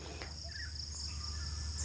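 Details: Crickets keep up a steady, high, shimmering trill in a quiet, remote tea garden in Sylhet, Bangladesh, in the morning, with one brief bird note and a low hum beneath.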